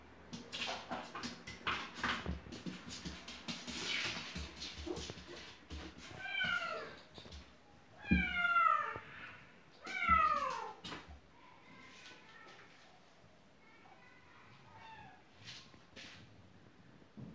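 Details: A cat that wants into the house through a closed window, after a burst of scratching and rattling, gives three loud, insistent meows about two seconds apart, each sliding downward in pitch, then quieter mews trailing off.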